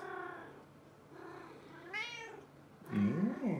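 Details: A Maine Coon cat named Hanny, recorded in 2018, gives a few drawn-out, wavering meows that rise and fall in pitch.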